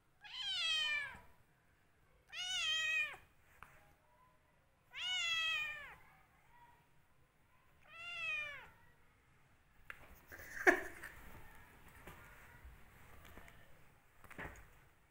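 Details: Angry house cat fighting with its owner, letting out four loud harmonic meows about two to three seconds apart, each wavering and falling, followed by scuffling, a sharp knock and a man's voice.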